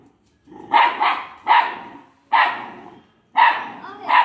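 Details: Two-month-old Italian Greyhound puppy barking at an unfamiliar boy: five sharp, high, yappy barks, some doubled, spaced roughly one second apart, clear and close with a quiet background.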